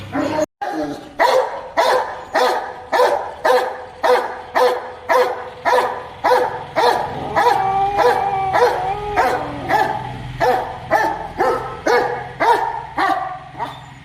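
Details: A Rottweiler that gets very angry whenever it sees a cow barks deep and harsh in a steady run, about two barks a second, driving off a cow.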